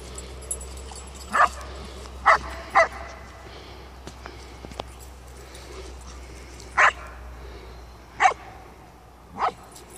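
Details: German Shepherd, an 8-month-old female in obedience training; six short, sharp barks spaced irregularly across ten seconds over a steady low hum, with a trainer's praise spoken nearby.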